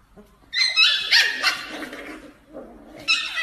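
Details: Corgi giving high, strained whining yelps with stacked harmonics, a long wavering cry followed by a quieter pause and a short sharp rise at the end.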